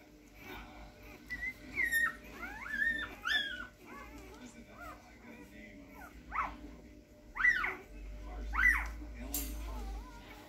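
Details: Rhodesian Ridgeback puppies, with a champion sire, giving high, thin whimpers and squeaks that rise and fall sharply in short bursts, several in a row, with some soft speech-like sounds in the background.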